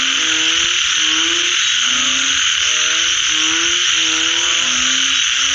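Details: Post-rain frog chorus: overlapping frogs repeat short, buzzy, harmonic croaks at an irregular, quick pace, with a constant shrill droning hum filling the background.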